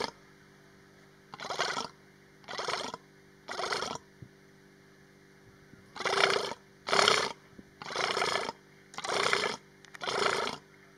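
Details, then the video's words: A female Persian fallow deer at Hai-Bar Carmel, Israel, on 29 August 2019, gives hoarse, breathy estrous calls, roughly one each second. "Persian fallow deer, Hai-Bar Carmel, Israel - Estrous calls"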